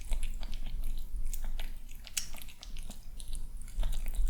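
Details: Charming male kitten eating his breakfast at home in the morning; brief burst of loud, crackly crunches and bites, closely packed, one sharp click standing out midway.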